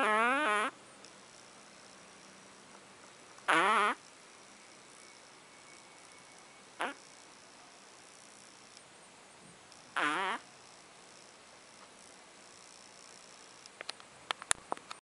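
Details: Ponta, a sleeping dog, snoring lightly: four short buzzy, harmonic snores roughly three seconds apart, each under a second long, with quiet gaps between and a few sharp clicks near the end.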